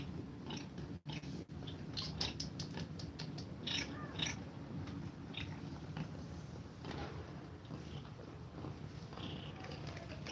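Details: Cat feeding milk to her kittens and breathing fast: a dense, low rumbling purr fills the recording, with soft suckling and chewing noises from the kittens and a few faint squeaks.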